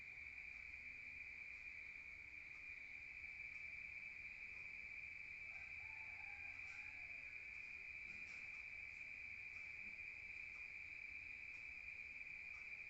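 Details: A countryside cricket chorus after dark, an unwavering high trill droning throughout, with a brief faint lower call and a few soft clicks partway through.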